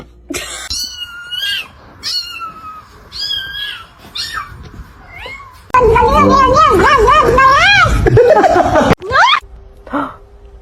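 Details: Cat being pranked indoors, giving several short rising-then-falling meows, then a long wavering, whiny run of calls lasting about three seconds and ending in a sharp cry, with a woman talking and exclaiming throughout.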